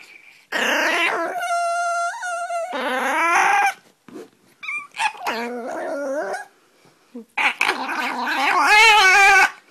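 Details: A Pomeranian puppy at play makes odd vocal sounds: loud, drawn-out whining howls with wavering pitch, some steady and tonal, others rough and rising, in bursts separated by short pauses.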